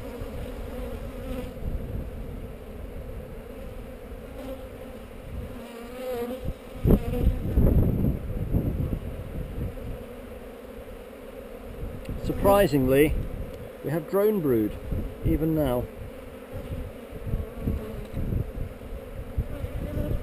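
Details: Honey bees on heather, filmed on a GoPro during a hive inspection: a steady low hum with bands near the bottom of the range, broken up by thumps, knocks and rustling from handling the hive.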